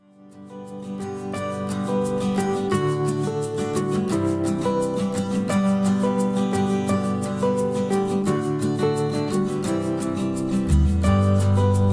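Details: Gentle plucked and strummed guitar music fills the whole passage with a steady rhythm. No animal calls can be picked out beneath the music.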